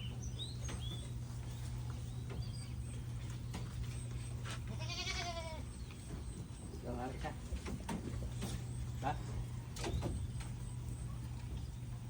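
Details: Goat by a fruiting tree valued for goats gives one wavering, vibrato bleat, with a person talking in Tagalog, a constant low hum and scattered handling noises.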